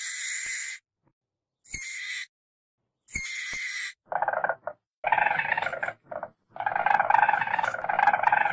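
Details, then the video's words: Weasel vocalising: three short, high, hissing squeals first, then longer rasping, buzzy chatter with dense harmonics. Segments are cut off sharply, with silent pauses between them. "WEASEL VOICE"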